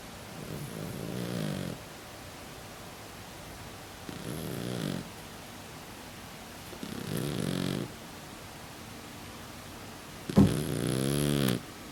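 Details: Sleeping Exotic Shorthair cat named Pukutan, a flat-faced breed that habitually snores with a snorting nose: four rough, low snores roughly every three seconds, the last one louder and harsher, with near silence in the pauses.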